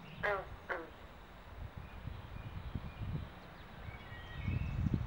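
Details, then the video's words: Mating-season pond in the New Jersey Pinelands near Southampton, where carpenter and green frogs call: two quick twangy plucks open the recording, followed by low rumbling noise. "Frog Pond Sounds at Mating Season"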